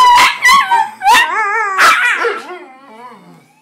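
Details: Indoor Miniature Pinscher and Chihuahua mix stirred up by game sirens: four quick, strained yelping howls with wavering pitch, the last one longer and trailing off into quiet.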